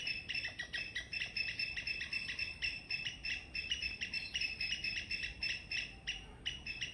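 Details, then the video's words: Loud morning squirrel chirps, quick high notes repeated several times a second in irregular bursts, briefly pausing near the end before resuming. "Loud Squirrel Chirping sound in the morning"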